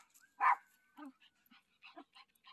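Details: Dog out on its usual walk barks once on meeting its returning dad, one loud sharp bark followed by quiet voices and faint rustling.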